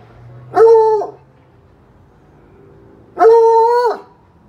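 A Bluetick Coonhound bays twice, each a loud, drawn-out, mellow note held for nearly a second.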